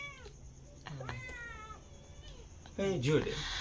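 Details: Kitten giving several thin, high meows that rise and then fall, spaced about half a second apart. Near the end comes louder human speech and laughter.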